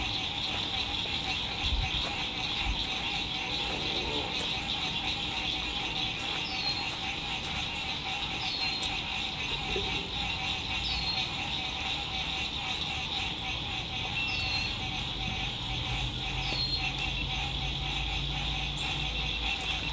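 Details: Lakeside sunset frog chorus, spring 2021, RV campsite: a continuous high pulsing trill throughout, several brief descending whistled notes in the second half, and a faint low rumble of distant traffic.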